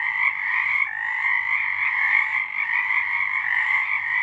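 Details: Night chorus of frogs in March 2023, a steady wall of shrill, pulsing trills that hardly wavers over four seconds.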